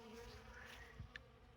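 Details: Honey bees buzzing at an open winter feeding station in December, feeding on honey and comb set out about 150 feet from the hive; continuous low drone with brief louder passes of individual bees.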